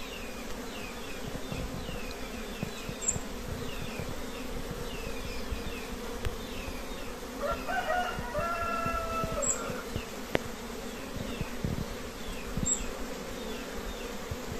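A steady, low drone of many honey bees humming together, with a rooster crowing partway through.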